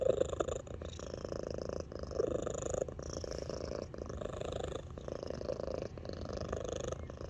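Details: Loud purring from Alani, a small 8 lb house cat who mixes melody into her purrs, dated 3/13/23; rumbling pulsed purr in cycles of about two seconds, each breath marked by a short gap, faint tonal overtones above.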